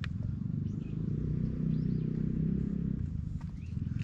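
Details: Silver tabby stray cat relaxing on a park bench while being petted, recorded on a GoPro HERO8: a steady, low, rumbling purr pulsing continuously throughout, with faint bird chirps above and soft outdoor background noise.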